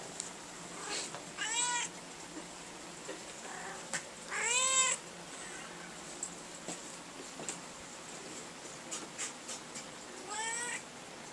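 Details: Domestic cat lying in a drawer filled with black broken umbrella nylon, meowing repeatedly: three or four drawn-out, harmonic-rich meows spaced a few seconds apart, the loudest near the middle, with faint rustling and small clicks between calls indoors.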